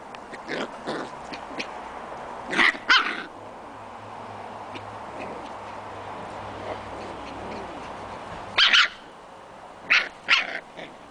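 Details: Six-week-old Scottish Terrier puppies playing outdoors in their pen give scattered sharp high yips and barks, a few clustered bursts separated by quieter stretches of background hiss.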